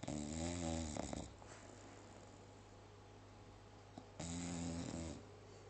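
An English Bulldog snores in two long, rattling breaths separated by a quiet pause.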